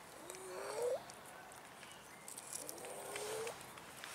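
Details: Abandoned cats in a city park beg for food: two rising meows, the first short and climbing near 0.3–0.9 s, the second a longer drawn-out call around 2.6–3.5 s, over outdoor background hiss.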